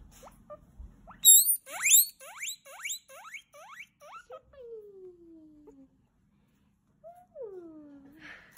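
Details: Loud pet guinea pig calling at food time: a quick series of sharp rising squeals, about two per second, then a long falling whine and one more drawn-out descending squeal near the end.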